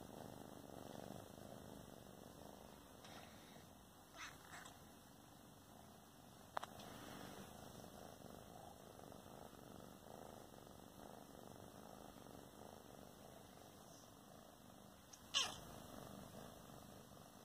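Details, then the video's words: Two sister cats talking to each other and enjoying their life; a soft, steady low purr runs throughout, with a few brief clicks and a sharper tap near the end in a quiet room. "SISTER CATS TALK"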